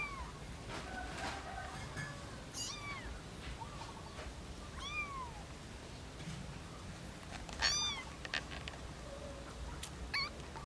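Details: Kittens of a mother cat with three kittens give thin, high meows that arch upward and then fall, about a dozen scattered calls, some overlapping, over a low rumbling background noise.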